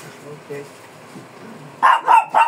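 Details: A fierce Shih Tzu being groomed gives three sharp, loud barks in quick succession near the end, after a stretch of faint background voices.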